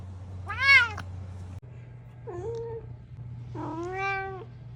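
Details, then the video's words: Domestic cat giving three meows: a sharp rising-falling first call, then a softer short mew and a longer level meow, with a steady low hum underneath and no other sounds. "The Ultimate Meow Compilation – Cute & Funny Cat Sounds!"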